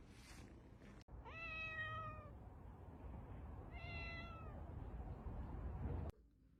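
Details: Cat giving two clear meows, the first long and steady after a rising start, the second shorter and softer, over a low rumbling background hum.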